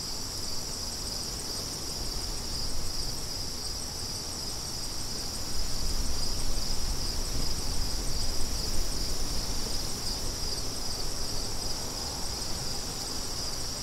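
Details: Wind blows steadily under a constant, high, ringing cricket chorus, and the gusts swell louder between six and ten seconds.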